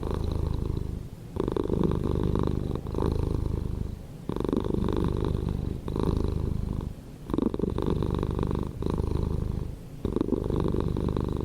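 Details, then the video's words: Close, continuous purring from a pet cat, a deep buzzing rumble swelling and easing in regular breaths about every one and a half seconds, with brief soft pauses between cycles. "Cat Purring Sound"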